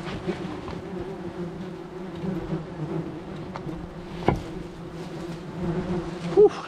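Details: Swarm of wasps angered by the destruction of their nest beneath house roof tiles, buzzing in a continuous low hum; occasional sharp knocks and a brief louder clatter near the end.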